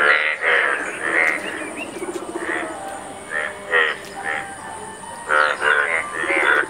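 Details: Indian bullfrogs at a breeding ground where many pairs are mating, males blue-sacked, yellow and competing aggressively; a chorus of short, harsh, pulsed croaks in bursts, several callers overlapping with brief gaps between bouts.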